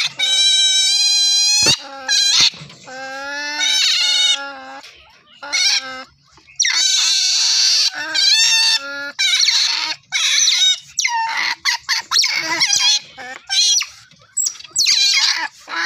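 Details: Otters calling with repeated high squeaks and whistles with rich overtones, some held long, others short and choppy, broken by brief pauses and bursts of noisy chirping.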